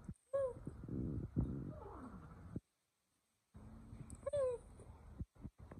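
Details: Kittens giving brief high mews that bend downward, two clear calls separated by a silent gap, with rustling and handling noise around them.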